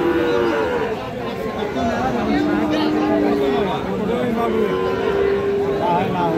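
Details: Cattle, Friesian and crossbred bulls and calves, at Raniganj haat market in Dinajpur on Thursday, 31 July 2025: several drawn-out, low, wavering moos overlap, rising and falling, beneath a steady crowd murmur of people talking.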